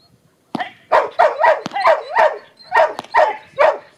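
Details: Female Border Collie, nine and a half years old, a retired agility dog, during protection training: a burst of sharp, loud barks in quick succession, about two or three per second, with a short pause mid-sequence.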